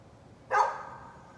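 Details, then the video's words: A neighbor's dog gives one sharp, loud bark outdoors in the morning, followed by a short trailing echo against a quiet background. "Neighbor's barking dog"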